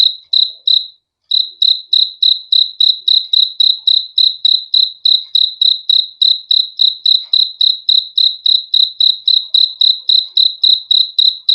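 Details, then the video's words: Persistent shrill cricket chirping, high-pitched pulses in a fast regular rhythm of about three and a half per second after a short opening pause, with no other noises. "BEAUTIFUL SOUND OF CRICKETS; FOR A GOOD SLEEP"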